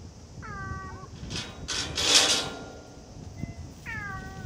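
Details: Cat, one of the stray cats filmed around Japan's fishing ports and cat islands, gives two harmonic meows, one near the start and one near the end, with loud rustling bursts between them.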